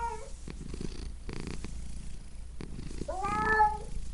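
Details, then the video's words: Low, pulsing purr of a pet cat runs steadily throughout, broken near the end by a single short, wavering meow. "Cat Pets Purring Meowing Sound Effect"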